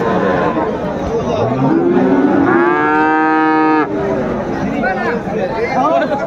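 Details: Friesian or crossbred bull calves at Raniganj cattle market in Dinajpur on 10 February 2025. One drawn-out, level, harmonic moo of about one and a half seconds rises above steady crowd chatter and men's voices.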